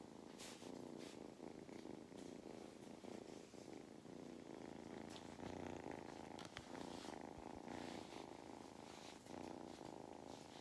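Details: Male cat on a farm in County Kilkenny, Ireland, purring while enjoying belly rubs: a steady, rough, pulsing rumble that rises and falls with each breath, plus occasional soft clicks and rustles of handling.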